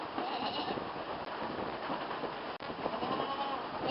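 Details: Goat kids on their first time in the barn, being moved to their stall; faint harmonic bleats rise through the second half over a dense, steady background of rustling and barn noise.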